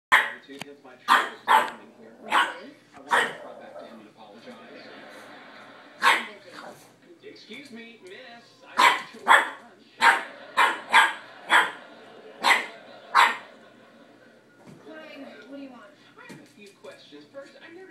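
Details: Boston terrier puppy barking at a cat: sharp, loud barks in quick pairs and bursts over about fifteen seconds, with quiet pauses between, while a voice talks throughout.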